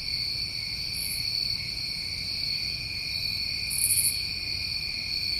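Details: Summertime crickets in New England chorus continuously, a steady high trill layered in bands with a brighter shrill pulse twice, over faint low rumble.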